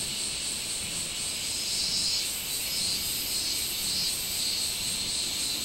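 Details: Robust cicada (minminzemi) singing on 24 July 2016; a dense, continuous high buzzing shrill with a slow pulsing swell repeating roughly every second, no other clear sounds.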